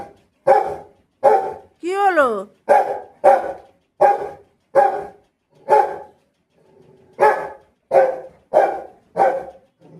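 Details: A pet Rottweiler barks in a steady run of about a dozen deep, loud barks roughly every 0.7 seconds. Early on, a drawn-out tonal whine rises and falls. There is a brief pause before the barking resumes.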